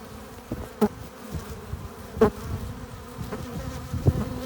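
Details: Honey bees at the hive entrance bringing in pollen and nectar: a low background hum broken by sharp, loud buzzes of single bees darting past, about every second or two.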